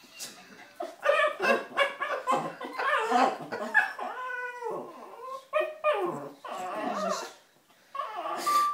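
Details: A 9-month-old male Lhasa Apso puppy getting frisky and too friendly with a person gives a run of high, arching whines and short yips with grumbly vocal sounds between.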